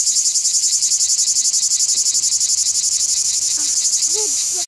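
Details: A single cicada, recorded in close-up, sings a loud, high, rasping buzz that pulses rapidly and steadily throughout.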